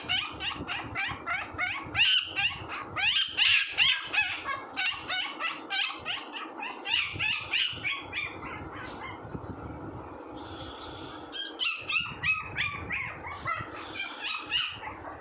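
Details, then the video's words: Rapid, overlapping high squeaks and whimpers from a puppy, dense and chattering at first, easing into a quieter stretch before another flurry of sharp yips. "puppy sound 😂 funny puppy sounds"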